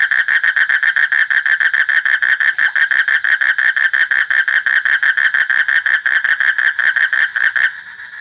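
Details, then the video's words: Frog giving a steady, fast series of rasping pulses, repeated several times a second. The series stops abruptly just before the end, leaving a faint hum. "Suara Kodok / Frog Sound"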